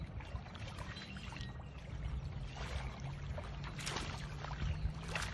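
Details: Steady low rumble like water or a boat engine, with faint scattered clicks and no animal voice.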